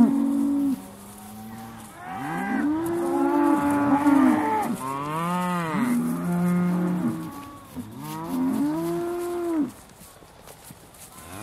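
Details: Several Aussie Red dairy cows at Beaulands, December 2012, just before milking, low in a run of overlapping moos, some arching up and down in pitch, others flat and steady, over about ten seconds.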